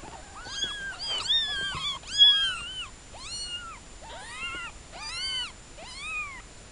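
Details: Newborn kittens meowing: a string of thin, high, arching mews, each rising then falling, several overlapping, about one or two per second, with clear harmonics and little background noise.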